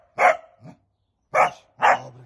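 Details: Male hunting dog working wild boar in training, producing one forceful bark, a pause of about a second, then two quick barks in close succession; a handler praises the dog in Polish.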